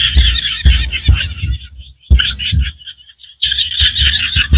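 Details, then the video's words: Chorus of small frogs in rural Cambodian rice fields: rapid, raspy high pulses in bursts that stop for about a second, then resume, with dull low thumps at the start of several bursts. "សំឡេងក្អាត់យំស្រុកស្រែ Small Frogs Sounds"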